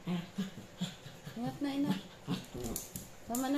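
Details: Chihuahua puppy play-fighting with a Japanese dog indoors; a string of short low growly whines and yelps roughly every half second, some rising at the end, with a woman speaking over them.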